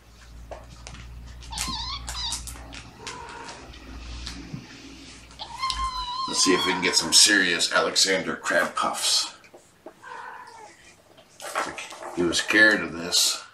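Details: Mother cat Gamora, caring for five kittens born April 14, calls the babysitter indoors on the morning of June 6, 2018. She gives several drawn-out, wavering meows that rise and fall, with a person talking over and between them.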